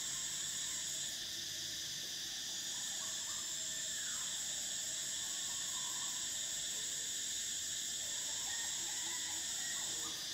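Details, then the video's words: Shrill, sustained cicada song on a summer day, a piercing high tone swelling in early on and holding steady over a constant buzzing hum, while faint scattered chirps sound underneath. "Cicadas: the sound of summer"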